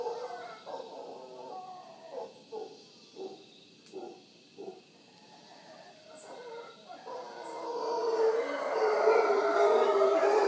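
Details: Wild howler monkeys at Villa Toucan, Punta Uva, Costa Rica, near Manzanillo Wildlife Refuge, in the morning: a string of rhythmic guttural grunts about once a second, then rising into a long continuous deep roaring howl.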